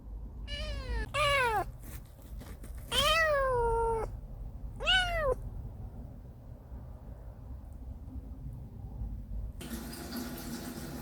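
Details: Kitten named Binwoo, a talkative young female, on her first day home, meowing loudly: four clear rising-falling meows in the first five seconds, some drawn out, then quiet room tone and a burst of rustling noise near the end.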